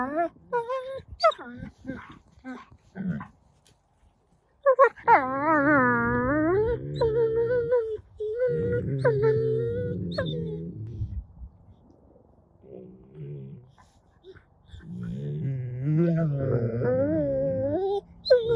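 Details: Two wolfdog puppies make strange, wavering whines, moans and growling noises while clowning around, playing over a rope toy.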